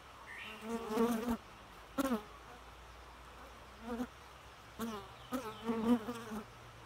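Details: Short droning bee buzzes come in several brief bursts, each swelling then cutting off, separated by near-silent pauses.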